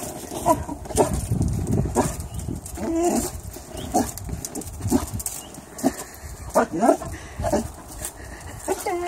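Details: Boxer puppy playfully barking at a shadow indoors: short, harmonic yelps and barks scattered through the recording, with a person talking and laughing over them.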